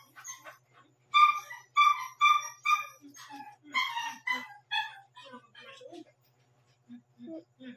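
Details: Young Shih Tzu puppy, one month and seven days old, yapping near midnight. A run of sharp, high, harmonic yips about twice a second fades into softer whimpering squeaks and low grunts.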